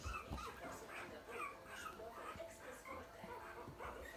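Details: A group of puppies whimper and squeal in short, high, wavering notes that overlap constantly, over soft background chatter and handling noises.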